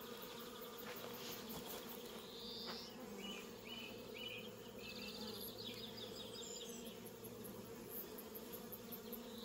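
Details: Bees in a New Zealand orchard with a cat among them, giving a continuous humming drone that holds steady for the whole stretch, with a few brief high chirps from birds in the background.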